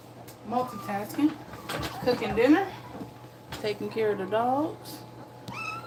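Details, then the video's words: Two-week-old German Shepherd puppies nursing indoors, giving short squeaky whines that rise and fall in pitch, clustered in two bursts with quiet gaps between them. "2 week old puppies nursing"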